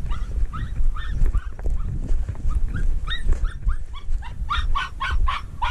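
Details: Treeing walker coonhound on a mink hunt, working alongside a dachshund: rapid series of high, yelping barks, two to three per second, over steady low rumbling wind or handling noise.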